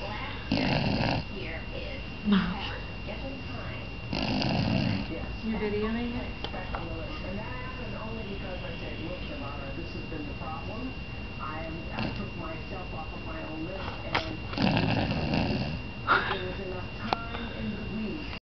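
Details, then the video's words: Sleeping 5-month-old Golden Retriever foster puppy Breeze, rescued by As Good As Gold, snoring in a small room. Rough breathy snore bursts recur every few seconds beneath continuous human conversation. "5 month old foster golden fast asleep... & snoring!"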